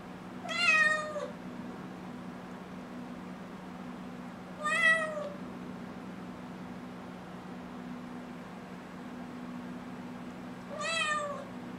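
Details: A six-month-old kitten asking to go outside gives three drawn-out, slightly falling meows, spaced about four to six seconds apart, against a constant low electrical hum indoors.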